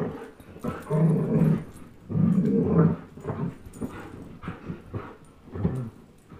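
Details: Old English Sheepdog and German Shepherd, young dogs, playing tug of war: deep rumbling growls in bursts of about a second, separated by short gaps and lighter snorts.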